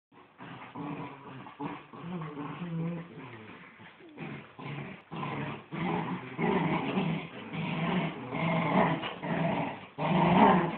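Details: Two miniature wirehaired dachshunds, a mother and her son, play tug of war; one growls steadily with rumbling, rising and falling growls broken by brief pauses.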